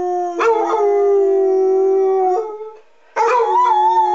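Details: Two Basset Hounds, a 6-year-old tri-colour and an 8-year-old tan and white, howl along with monthly public address siren tests in long, sustained, slightly wavering tones with rich harmonics, pausing briefly between howls.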